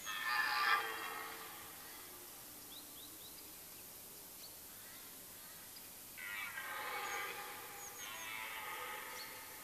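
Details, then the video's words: Rutting red deer hart in a Mecklenburg-Vorpommern forest, late September: a short loud roar opens, then quiet with faint bird chirps, then two drawn-out, groaning roars with stacked overtones near the end. "Rotwild-Brunft Teil-1, rutting hart"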